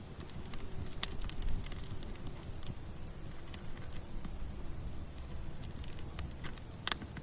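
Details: Crickets trill steadily at a high pitch at night over the snapping and popping of a crackling campfire.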